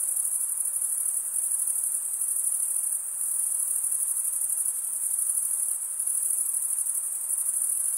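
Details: Continuous high-pitched cricket chirping, the stridulation of male crickets rubbing a wing edge over a comb-like toothed vein. A dense, even, rapidly pulsed ringing tone holds steady throughout, with no other sounds beyond a faint background hiss.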